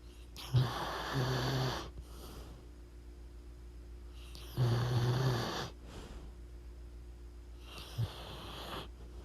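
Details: Pit bull Mavryk snoring loudly while asleep: three rasping, breathy snores with a low buzzy rumble, each lasting about a second and coming every three to four seconds, separated by quieter inhalations.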